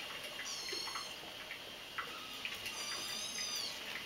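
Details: Kittens only a few weeks old at play indoors, giving two brief bursts of thin, very high mewing with wavering harmonic tones, separated by soft scuffling and light tapping noises.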